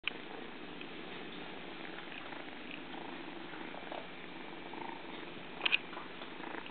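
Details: Kitten at play indoors, giving a steady low pulsing purr that rumbles on without a break, with a couple of sharp little clicks near the end.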